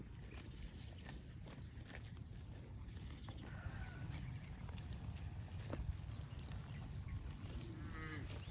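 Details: Cattle heading to a rural field; a faint, drawn-out moo with stacked harmonics rises near the end over steady low wind rumble, with brief scattered chirps and thin high tones earlier.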